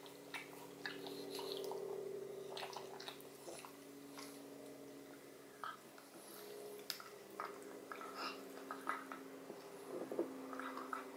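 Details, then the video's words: Odin the pug eats a marrow bone in a small room: irregular wet licks, slurps and crunchy clicks, some rapid and dripping, over a constant low hum. "Dog Eats Bone Marrow [Pug/Mukbang]"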